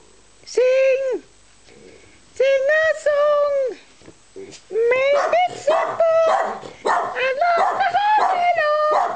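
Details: Twelve-year-old Australian Terrier Wendy howls along in a sing-along recorded 26/10/10: drawn-out tonal howls that rise and hold, then a busier run of overlapping wavering howls, while a woman coaxes and praises her singing.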